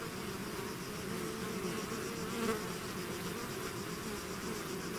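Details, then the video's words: Swarm of bees out of its hive, a steady dense hum of many wings holding low and even throughout, with one brief louder pass near the middle. "bees therapy swarm natural buzzing sound"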